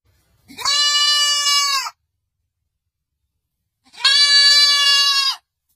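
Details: Young goat kid bleating: two long, steady, nasal bleats of about one and a half seconds each, separated by a two-second silence, clean with no other sounds.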